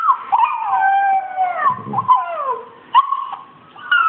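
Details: Australian Shepherd answering a Rottweiler puppy heard from a screen, giving drawn-out, wavering howling whines that slowly fall in pitch, then a few short sharp yips near the end.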